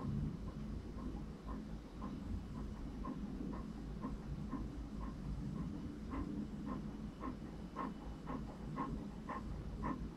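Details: Franklin, the English Cream Golden Retriever puppy, breathes in short puffed pants, faint at first and growing louder and clearer after six seconds, over a continuous low drone.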